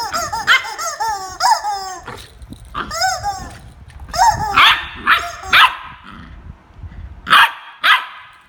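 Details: Jarvid the corgi barks while fighting with a chicken: a quick run of high, arched, harmonic yips and barks in the first seconds, then louder sharp single barks spaced out toward the end.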